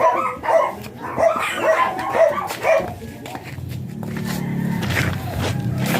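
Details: Blue Miniature Pinscher named Ziggs at a kennel in Manaoag in the morning: a quick series of six sharp, mid-pitched barks over about three seconds, then a low rumbling background noise with faint clicks.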